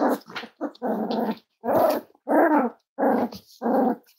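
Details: Cavalier King Charles Spaniel puppies, five weeks old, from Myra and Remy's litter at Red Barn Cavaliers, make rough, buzzy growls in short bursts about every half second, harsh and steady in pitch, indoors.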